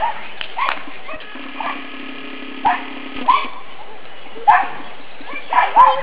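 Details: Black and fawn pug pups, nine weeks old, play outdoors in a yard in spring sunshine. Short rising yelps and whimpers come every second or so over a low background tone.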